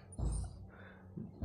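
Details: Saint Bernard named Jack, coaxed to talk by its owner, lets out a deep low grumbling vocalization in two short bursts, with a brief rumble again near the end and a quiet indoor background.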